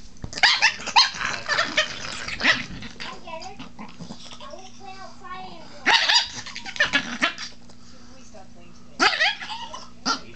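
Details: Protective pet Chihuahua named Baby, indoors, getting mad as its owner talks to it and asks to touch his wife; snarling barks and growls in bursts near the start, around six seconds and near nine seconds, mixed with a man's voice.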